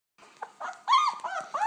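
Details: Two-week-old German Shepherd puppy from a litter of ten born in August 2012 in Chestermere, Alberta: thin, squeaky whimpers rising and falling, coming in quick short bursts.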